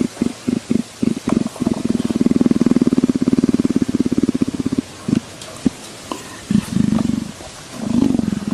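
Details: A leopard, scratched behind the ear and clearly enjoying it, purrs: several short low bursts build into a long, fast, rhythmic rumble, then break into separate puffs and a final swelling purr.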